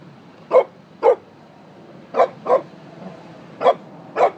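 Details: A Pekingese playing with another dog gives short, sharp barks in pairs, each pair about a second and a half apart.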